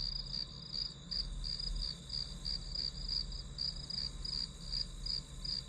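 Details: Grass insects recorded for a study-with-me session, chirping in quick, slightly uneven pulses close to three a second, layered on a constant high insect drone and faint low hum.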